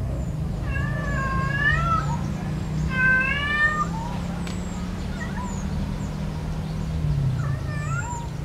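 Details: Lovesick domestic cat seeking a partner, uttering drawn-out wavering meows, the loudest two near the start, then shorter quieter calls trailing off, over a constant low hum.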